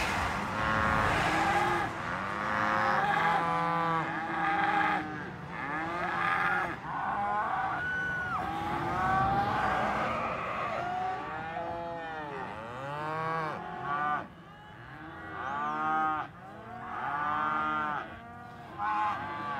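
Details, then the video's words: Cattle mooing from several animals, overlapping drawn-out lowing calls with rich harmonics, some rising and falling, nearly continuous through the recording. "Voice of Cows"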